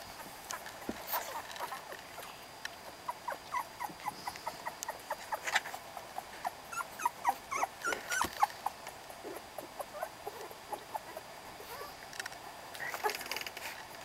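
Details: November recording of a puppy litter: scattered thin whines and squeaks, clustered around the middle and again near the close, over a quiet background.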